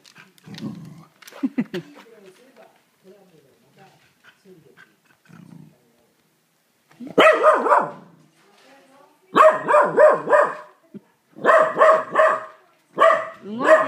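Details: Pet corgi indoors barking angrily at a vacuum cleaner: after quiet speech and soft sounds, loud harsh barks burst out in quick clusters of three or four, repeated several times with short pauses between.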